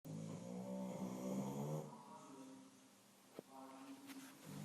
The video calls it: English Bulldog snoring